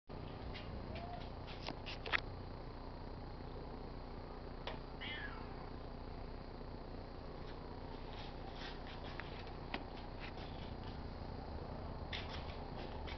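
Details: Pet tabby cat purring while rubbing against a car antenna: a steady, low rumbling drone runs throughout, with scattered soft clicks and taps and one brief faint higher squeak midway.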